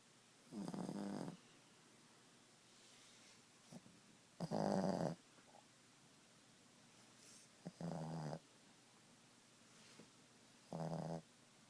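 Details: Boston Terrier Ziggie snoring during nap time indoors: four coarse, rumbling snores spaced a few seconds apart, one louder and longer, with faint small snuffles in the quiet gaps.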